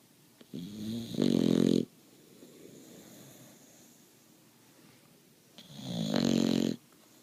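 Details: A Boxer puppy snores, building from a soft rasp into a loud, gravelly, vibrating snore, then breathes quietly before a second drawn-out rattling snore about five seconds later; otherwise a still room.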